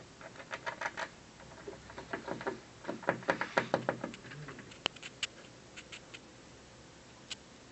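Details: An afternoon squirrel chews at an office building from a windowsill. Rapid clustered gnawing clicks fill the first four seconds, then give way to a few isolated sharp taps and one crisp snap.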